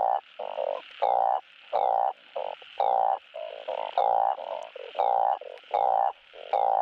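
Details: Chorus of balloon frogs calling for a mate, played to prompt spawning: dense, overlapping nasal croaks of varying length, nearly continuous, some louder and longer, some short and quieter in between.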